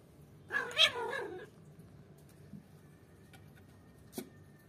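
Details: Domestic cats play-fighting indoors, one-year-old Simsim and three-month-old kitten Basant, the older cat angered by her teasing; a harsh, wavering yowl lasting under a second, then quiet room with scattered light knocks.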